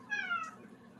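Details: Pet cat indoors, a mischievous troublemaker: one meow with stacked harmonics, sliding slightly downward over about half a second, over a low room hum.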